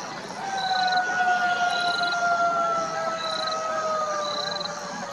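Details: Golden jackal. A golden jackal howls in one long, drawn-out wail, held on a steady tone and sinking gently in pitch. Short, high piping notes sound faintly behind it at intervals.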